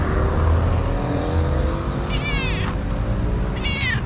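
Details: Gentle meows from a calico cat in Morocco asking for love and food; two short, quavering high cries about a second and a half apart, with a constant engine-like drone beneath.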